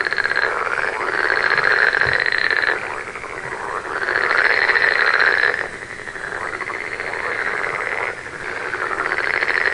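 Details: Night frog chorus of fast, rattling pulsed trills that build into loud bursts lasting two to three seconds, then drop back, with many callers overlapping continuously.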